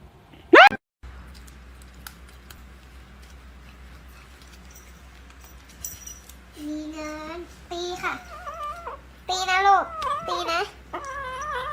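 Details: Domestic cat giving a run of drawn-out, wavering meows, several in a row over the last five seconds, each bending up and down in pitch, after a mostly quiet stretch opened by a sharp click.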